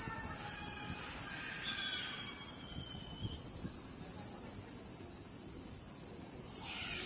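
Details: Evening shrilling of a Kaempfer cicada on a cherry tree in a park, 20 July 2018 at 17:35, close range; an even, very high buzzing tone without pause, with a few faint whistled bird notes early on.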